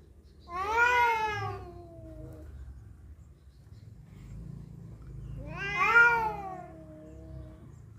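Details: Cats fighting over a female, two drawn-out harmonic yowls, each rising then sliding down over about two seconds, separated by a quiet gap, low rumbling background.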